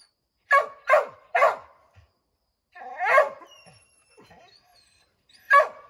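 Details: Redbone Coonhounds barking up at a treed chipmunk in an oak: three quick sharp barks, a rougher bark after a pause, and one last bark, separated by quiet gaps.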